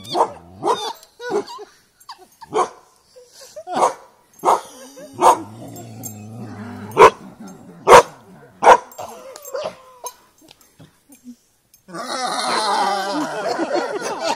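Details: A dog fighting a buffalo barks steadily and loudly about once per second, then the last seconds turn into a rough, noisy, snarling scuffle.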